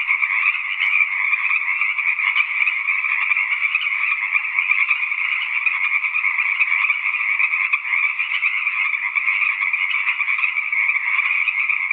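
A dense, unbroken frog chorus of many overlapping trilling, creaking voices, steady and fairly high-pitched throughout, with no other sounds standing out.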